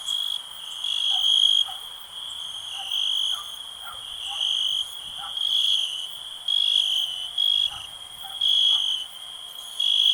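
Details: Piercing, steady cricket trill with repeated louder surges about every second, accompanied by scattered faint lower chirps beneath the ringing tone.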